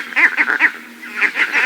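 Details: Vervet monkey; leopard alarm call; warning of a leopard, sending monkeys to the thinnest branches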